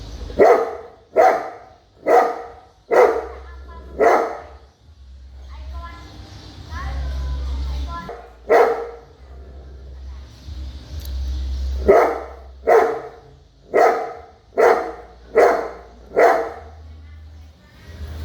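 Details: A big dog gives repeated deep barks about once a second, a run at the start and another near the end, with a quieter middle stretch of murmuring voices and hiss over a low hum.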